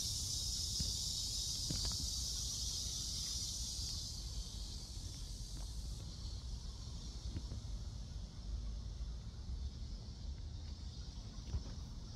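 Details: Cicadas at Seoul Innovation Park on July 11, about 11 am, on a walk: a shrill continuous drone is strong for the first few seconds, then thins and softens under low wind and traffic rumble.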